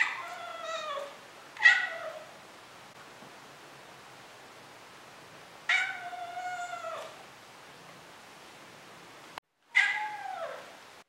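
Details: Meows from Moose, a Maine Coon, shown as kitten versus adult: four drawn-out, falling meows with rich overtones, spaced several seconds apart in a quiet room.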